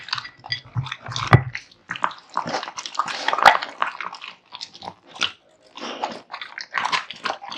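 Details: Kotetsu, a male American Bully dog born in 2016, eats a big meal of raw meat and bones indoors; wet irregular chewing and biting with sharp crunches and slurps, some low thuds.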